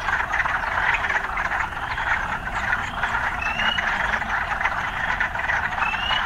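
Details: Frog sounds mixed with urban life: a dense, even chorus of calls with only two clear rising notes in the second half, over a low rumbling background.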